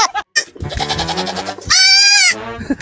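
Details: A goat (Capra hircus) gives loud, wavering bleats, one long and strained, with a man's voice nearby.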